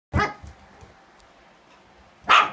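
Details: Mandy's puppies: a sharp, high yip right at the start, then a near-silent gap of two seconds before a second bright, harmonic yip near the end.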